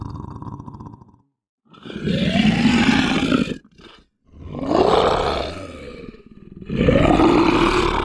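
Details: Three loud, drawn-out lion roars, each swelling in pitch and then sagging over about two seconds, with short silences between them.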